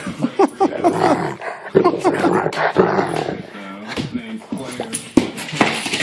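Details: An angry male Rottweiler who hates having his feet touched grumbles and growls in low, broken bursts as his feet are handled, with a person talking over him.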